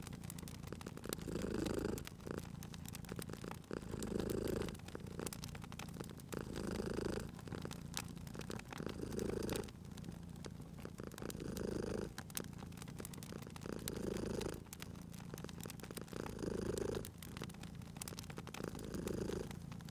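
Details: Cute cat asleep by a crackling fire, purring steadily: a deep vibrating rumble that rises and falls with each breath, about every two seconds, under constant snapping fire crackle.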